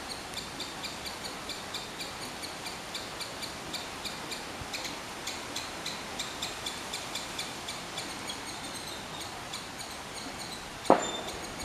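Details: A squirrel gives a long run of quick, evenly spaced chirps with a clicking, metallic edge, about four per second, and one loud knock near the end against a constant noisy background.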